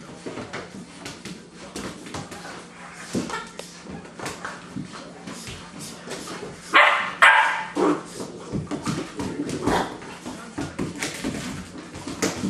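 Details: Eleven-week-old German Shorthaired Pointer puppies, full of energy after 25 minutes running around outside, play indoors; scuffling and soft whines, then two loud sharp barks midway, followed by more rustling play noise and a woman calling to them.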